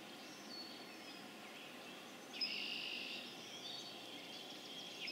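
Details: Spring peeper (Pseudacris crucifer) chorus recorded April 27, 2011, in Harvard, Massachusetts; a quieter background of high peeps suddenly jumps louder after two seconds and then rings on steadily.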